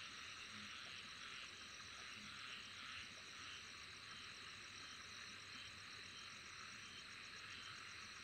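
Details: Insects calling together in a dense, steady chorus of high-pitched shrill buzzing. Fine, rapid pulsing runs along the top and never pauses. A few faint low tones sit beneath it.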